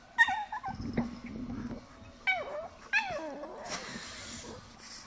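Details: Female Chihuahua, angry after air is blown into her face during a prank, fighting back indoors: high, sliding whiny yelps that drop in pitch, a low buzzing growl between them, and rustling.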